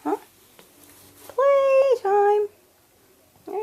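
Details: Five-week-old RagaMuffin kittens, one of four in a litter, exploring indoors. Two steady, tonal meows in quick succession, the first longer and slightly higher, the second lower and shorter. A woman talks before and after.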